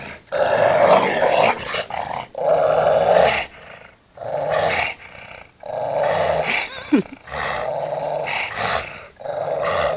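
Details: Two Rottweilers playing in a back yard, fighting over a toy: continuous rough, throaty growling in long rumbling bouts separated by brief pauses, with snarling bursts, a scuffling sound and a yelp-like squeak in the middle.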